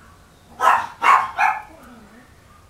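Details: Seven-month-old Chihuahua puppy weighing 1.2 kg, at a breeder in Aquitaine, southwest France: three quick, short barks in rapid succession, then quiet with a faint low murmur.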